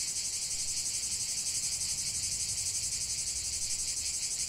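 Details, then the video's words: Cicada song outdoors: a bright, piercing buzz pulsing rapidly and evenly, several throbs each second, with no pause and nothing else standing out. "45 min de chant des cigales"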